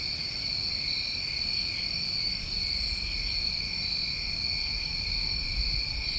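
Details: Summertime crickets on a New England night: a steady, unbroken high chirring chorus layered in several bright tones, with one short higher buzzy burst midway and a faint low rumble beneath.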